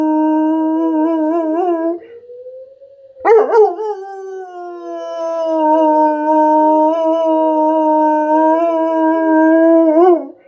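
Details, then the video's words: Pet German Shepherd joins a tornado siren drill with a long, steady, harmonic-rich howl. A short pause is followed by a wobbling burst, then another extended howl riding over the siren's rising and falling wail. "My German Shepherd and a tornado siren drill."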